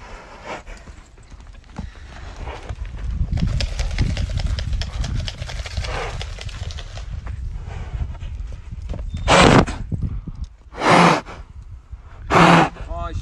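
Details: Arabian mare close by, with hoof clops and rustling early on, then three loud, broad, breathy snorts about one and a half seconds apart near the end.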